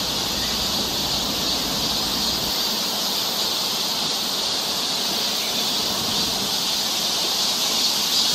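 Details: Cicadas singing along a summer forest trail near Seoul, Korea: a dense, unbroken high-pitched buzzing chorus that holds steady throughout, with faint low rustling beneath during the first seconds.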